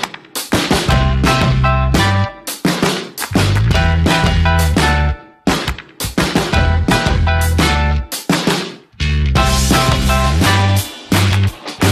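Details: Loud upbeat funk-style music with a steady beat and horns fills the whole stretch, with no animal voice.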